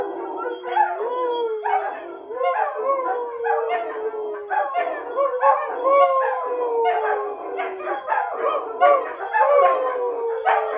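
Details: Several German Shepherds in a house join a group howl, set off by dogs outside howling; drawn-out falling wails overlap with short yips and rising swoops, layered voices repeating roughly every second throughout.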